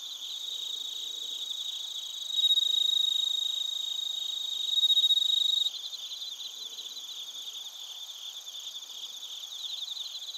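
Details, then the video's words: Crickets and suzumushi (bell crickets) recorded in Narita, Chiba Prefecture, Japan, with a TASCAM Portacapture X8; high, pulsed trilling chirps repeated rapidly over a steady background insect chorus, with louder bursts partway through. "スズムシとコオロギの鳴き声 - Chirping of crickets"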